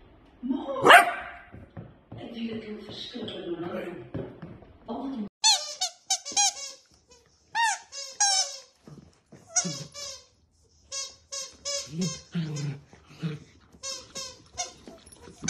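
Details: Dachshund puppies, miniature sausage dogs, indoors; about five seconds of human talking first, then a run of high, squeaky, harmonic yelps and whines in short bursts, some in quick clusters, lasting to the end.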